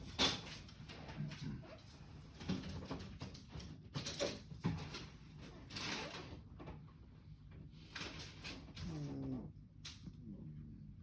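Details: Rock, a 3.5-month-old pug puppy, snoring for the first time at its new home; soft, noisy snuffling breaths recur every second or two over a low rumble in a quiet indoor room.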